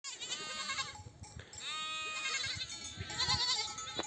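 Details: Mother sheep of a nomadic flock in oak desert country bleat on returning from pasture to nurse their lambs; overlapping high wavering bleats from several animals, strong continuous chorus with a faint bell.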